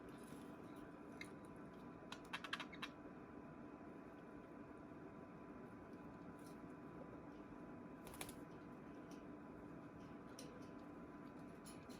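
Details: Only scattered soft clicks and taps over a low steady indoor hum are heard, with no clear bird calls.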